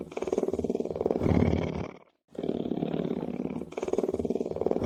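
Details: Lion (Panthera leo), purr.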